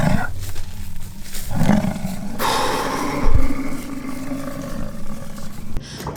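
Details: Rutting American bison in a fight at Peace River Ranch, Fort St. John, British Columbia, Canada, give low, throaty roaring bellows that swell and fade almost without pause, with one sharp thud partway through.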